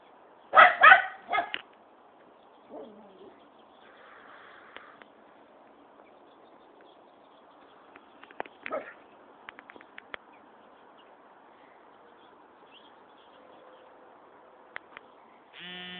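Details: Dillinger, a pet dog, guarding territory: a quick burst of loud barks at the start, then a few fainter yips and scattered clicks over a quiet background, ending with a brief electronic tone.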